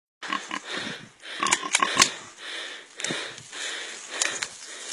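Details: Pig encircled and suffocated by an anaconda, giving harsh, noisy grunts and squeals in short bursts, with a cluster of sharper cries around the middle, then brief, rough outbursts separated by quieter breathing-like gaps.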